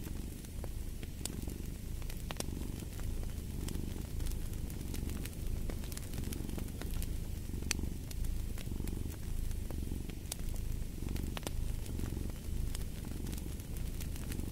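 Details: Domestic cat purring steadily in low, rumbling pulses that swell and fade with each breath about every second, while a fireplace crackles and pops with sharp snaps throughout.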